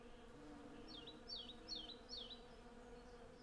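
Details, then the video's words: Hundreds of western honey bees collecting honey from a blossoming cherry tree, recorded in stereo with a Sennheiser MKH 8040 pair and Zoom F6: a steady, low droning hum with layered overtones, broken midway by four quick descending bird chirps. "Honey Bee Sound Library"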